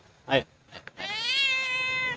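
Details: A homeless, hungry cat that lost its family utters a long, rising then level meow lasting over a second, preceded by a short human voice calling to it.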